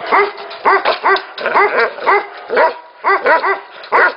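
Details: Barking from Tibetan Mastiffs at a Tibetan mastiff factory: distinct ringing, arched barks, several close pairs and triplets spaced under a second apart, with other dogs faintly barking behind.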